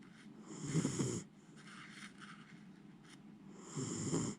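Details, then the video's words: Miniature Schnauzer Jiji in deep sleep, snoring heavily without waking; two long, harsh, rattling snores near the start and end, separated by quiet breathing. "ミニチュアシュナウザー(ジィジィ）、 立派ないびきで爆睡！"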